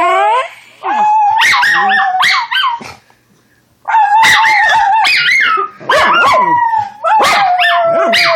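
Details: A female Schnauzer puppy, singing along as she does to everything, howls in long, wavering, high-pitched notes broken by short yelps.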